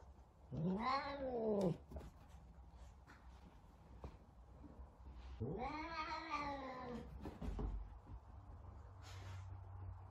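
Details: Talkative Savannah cat searching for another cat: two long, drawn-out wailing meows, each arching up and sliding back down, separated by a few seconds of quiet room noise and small knocks.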